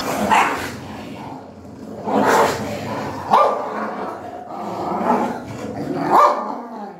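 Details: Mother dog defending newborn kittens, attacking another female dog that tries to approach; harsh barks and rough growls come in bursts roughly every two seconds, with snarling between them.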